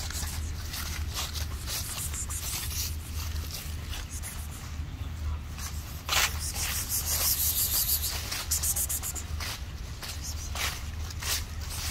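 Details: Outdoor street background with a low rumble, rubbing and scraping noises, and scattered broadband bursts, with no clear animal voice.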